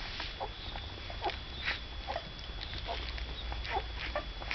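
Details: Cocker spaniel puppies, the second litter of a dog named Saga, make soft, short squeaks and whimpers, about two or three a second, in irregular bursts over a steady background hiss.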